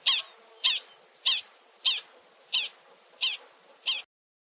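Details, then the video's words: Prairie dog giving seven bright, high-pitched squeaky barks, each short and bent in pitch, spaced roughly every half second, then silence at the end. "Prairie Dog"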